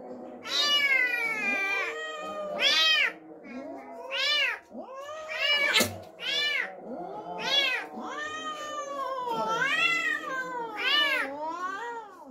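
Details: Cat reacting to an unfamiliar kitten brought home: a dense, nearly continuous run of loud arched yowls, rising and falling, about one every second, overlapping with drawn-out moans and one sharp click.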